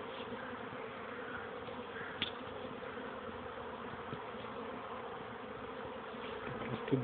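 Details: Young honey bees on their first flights, 13 May 2013 in the early afternoon after two days of bad weather, the bees not swarming. A steady, droning hum of many wings with a few sharp ticks.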